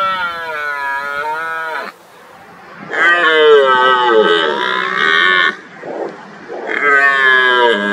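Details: Red deer stag in the rut, roaring to intimidate rivals and attract hinds: three drawn-out, strained bellows with rich harmonics, separated by brief pauses holding short grunts, the middle roar loudest and longest.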